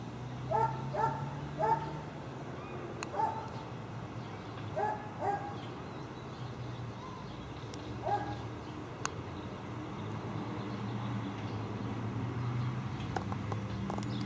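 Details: Tied-up dogs barking near a dump on Wright Street: short bursts of several sharp barks early on, another pair around five seconds and a single bark near eight, then only low steady rumbling background noise.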